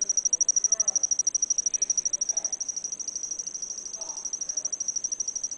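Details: An insect sings a high, shrill love song of rapid, evenly spaced pulses that runs without pause.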